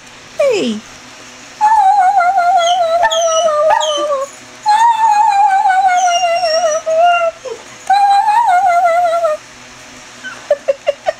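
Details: Chevelle, a greyhound, doing her roo and whine combo: long wavering mid-pitched howls in three drawn-out phrases, each sliding slowly downward, with a short whine at the start and a few quick yips at the end.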